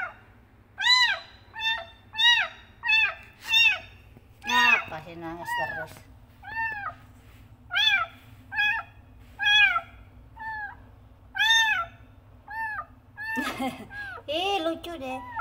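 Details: Kitten named Frangky meowing loudly to call its mother: a long run of high arched meows, rising then falling, spaced about a second apart, with a woman's voice speaking over several calls and a low indoor hum.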